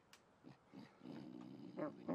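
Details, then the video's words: Angry, trapped raccoon caught at a horse barn at night, growling low and harmonically rumbling, building toward two louder, rougher snarls near the end; no other clear sounds. "Angry Raccoon"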